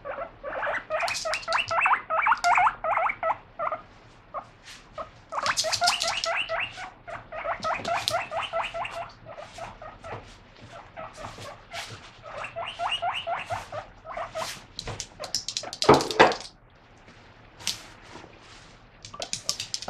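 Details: Excited pet guinea pig wheeking during lettuce washing: bursts of rapid squeaky calls in repeated bouts separated by short pauses, with occasional clattering and a brief louder noise midway.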